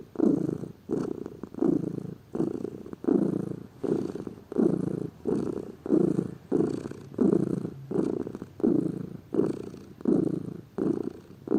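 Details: A lazy pet cat purrs continuously in a deep, rolling rhythm, about fourteen pulses, each rising and fading with the breath, nearly one per second.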